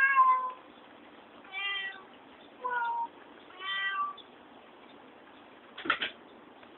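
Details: Little Milk, a talking cat, utters four harmonic, wavering meows spaced about a second apart, some bending downward at the end, followed near the end by brief knocking or handling noises.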